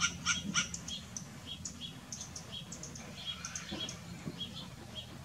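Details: Western grey squirrel barking: a quick pair of sharp, harmonic barks opens the clip, followed by quieter scattered chirps and background rustle.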